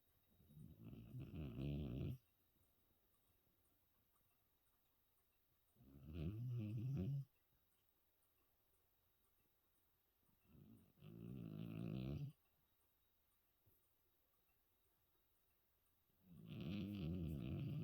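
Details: Hermann, a 14-year-old cat, snores in deep sleep after New Year's Eve: four low, rasping breaths of about two seconds each, one roughly every five seconds, with near silence between them.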